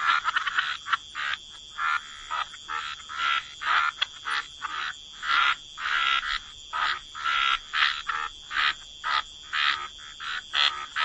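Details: Waterside frogs in a wetland chorus: rhythmic, evenly spaced croaks repeated roughly twice a second, each a short buzzy burst, with a steady high whistling drone throughout.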